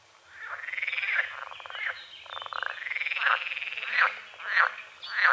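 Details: Dawn chorus of frogs on a small forest-edge lake among calamus and water lilies: arching, buzzy pulsed croaks repeating in quick succession, several frogs overlapping, with sharper notes toward the end.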